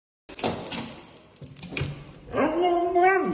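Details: Husky greeting its owner as she comes home from work, door noises first, then a loud drawn-out harmonic howl-like vocalization that rises and wavers, holding steady before dropping at the end.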